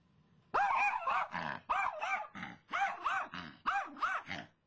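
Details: Female pet dog named Brittany barking after spotting a squirrel in the front yard, part of three hours of barking; after a short quiet start, a run of about seven harsh, throaty barks follows in quick succession.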